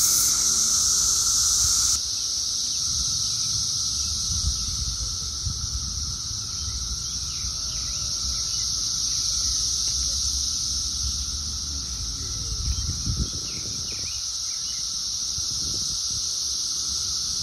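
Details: Crowds of Brood XIII periodical cicadas, some light and some dark in colour, covering trees and plants in 2024. They keep up a continuous droning chorus, a steady hum plus high hiss, with faint short chirps and a few low knocks.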